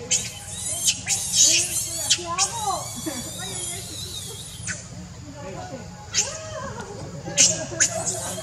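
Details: Monkeys Rainbow, Leo and Libby, one angry: wavering, squealing cries and sharp high screeches come in bursts, rising and falling, with short pauses between outbursts.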